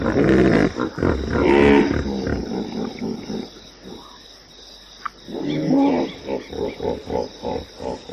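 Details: Hippopotamus: harsh, loud harmonic blasts at first, a quiet pause, then a steady series of chuffing pulses, roughly one per second, fading in strength.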